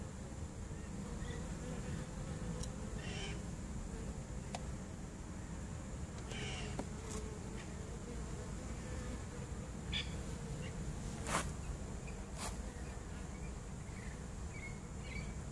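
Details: Swarm of honey bees taken in a swarm trap, September 2014, giving a quieter, constant low buzz beneath scattered clicks, knocks and short high chirping sounds.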